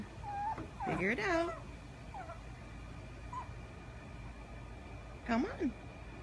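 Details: Pug puppy whining in frustration as her favorite stick won't fit through the fence door; a strained, wavering whine early, a few brief squeaky notes, then a final rising-falling whine, with people talking in Spanish nearby.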